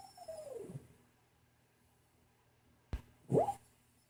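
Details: Sleeping female dog having a bad dream in a quiet room gives a high whine sliding downward, then after a silent pause a sharp click and a short, rising, strained squeak.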